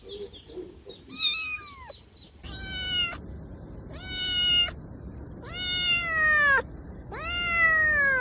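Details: Domestic cat meowing, from a compilation meant to attract cats: one descending meow, then four loud drawn-out meows about a second each that bend slightly downward, with faint background hiss.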